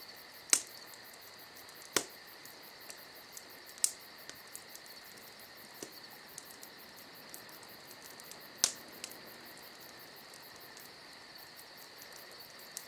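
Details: Crickets chirp in a dense, unbroken high trill through a summer night, quick pulses running on; a crackling campfire pops and snaps every few seconds.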